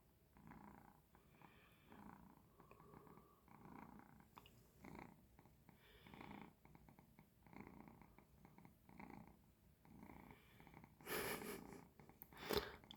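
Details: Domestic cat lying and grumbling contentedly at home after having woken its owner at night to ask for food; soft rhythmic purring in repeated low breaths, about every second, with a sharp rustling burst near the end.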